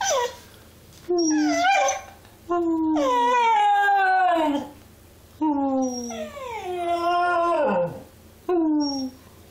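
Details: Young cocker spaniel puppy giving long, rising-then-falling whiny howls in several bursts, some strained and warbling, with brief pauses between them.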